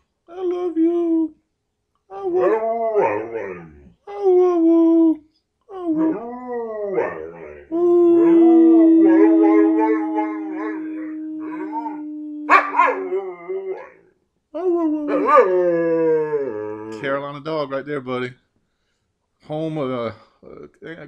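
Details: Nine-year-old male Carolina Dog, adopted from a shelter, howling and making 'monkey noises': short warbling bursts, then a sustained level howl of nearly five seconds, followed by more wavering yodels; an owner talks and encourages him throughout.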